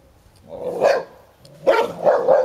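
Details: Ten-year-old Hovawart Sherlock defends his toy during play with one-year-old American Staffordshire Terrier Heini; a drawn-out bark followed by a pair of quick, throaty barks.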